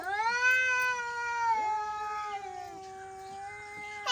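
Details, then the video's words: Angry cat holding one long, low, steady yowl that sags slightly in pitch and drones on for about four seconds before a sharp noise cuts in at the end. "Angry Cat Sound Effects | Cats Meowing"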